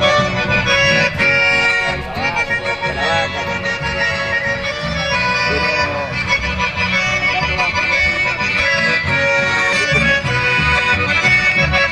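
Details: Lively traditional accordion music plays throughout with faint voices underneath, and no animal voice.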